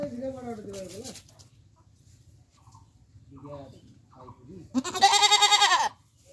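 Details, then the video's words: Goat in Bangladesh: human talking for most of the recording, then one loud, quavering bleat of about one second near the end. "Goat sound 2020"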